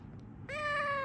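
A Persian cat gives a single clear, drawn-out meow that sags slightly in pitch toward the end.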